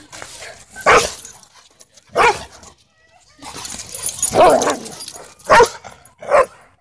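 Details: A German Shepherd mix named Luna plays rough with Bodhi, a German Shorthaired Pointer, at a dog park. Five loud, throaty bark-growls burst out at irregular intervals, separated by softer snuffling and scuffling.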